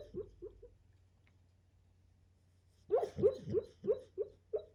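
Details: Sleeping dog dreaming of chasing a squirrel, indoors. It gives three soft muffled woofs, goes quiet for about two seconds, then lets out six louder, muffled yipping barks in quick succession over a low steady hum.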